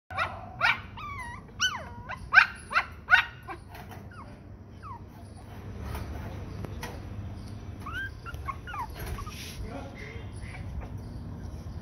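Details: Black toy Pomeranian puppies giving a quick run of high, thin yips and squeaky whines, about five sharp notes in the first few seconds, then softer scattered squeaks over a steady low background hum.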